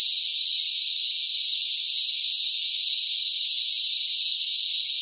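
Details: Cicadas calling noisily in the heat of a hot summer, a dense, continuous high buzzing hiss without pauses or audible pulses, constant in loudness throughout, nothing else heard.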